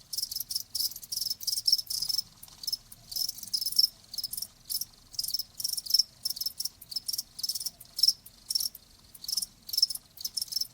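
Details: Steady cricket chirping, sharp high trills repeating in quick bursts with short gaps, an even rhythm across the whole stretch.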